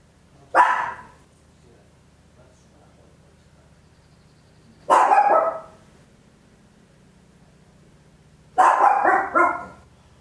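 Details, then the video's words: Papillon, a tiny dog, barking very loud at home in stereo on an Olympus LS-11: three sharp, bright barks spaced several seconds apart, the last one doubled, over a quiet low hum. "Tiny Dog Barking Very Loud, Papillon"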